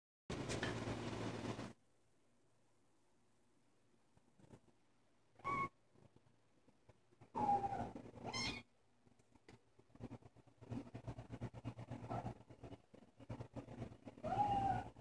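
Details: Willow, a female Bengal kitten out of Ava and Cynder, gives a few short, high, thin meows spaced several seconds apart, the last one near the end; a burst of broadband rustling and handling noise opens the recording, with soft shuffling between calls.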